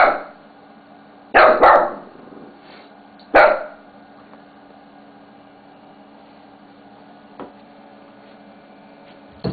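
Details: Playing with a mouse pad, Bella the Shih Tzu gives a rough doubled bark followed by a single bark two seconds later, then quiet with faint soft sounds and a steady indoor hum.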